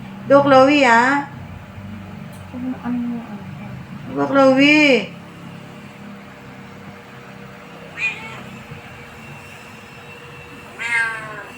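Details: Clingy Khao Manee cat meowing indoors: two long, wavering, drawn-out meows four seconds apart, then two shorter, fainter ones, with a person talking softly in between.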